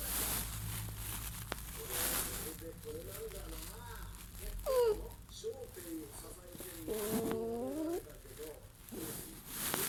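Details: A Chiweenie, a rescue dog, whines and cries in high, wavering tones like a miniature dachshund puppy when hungry.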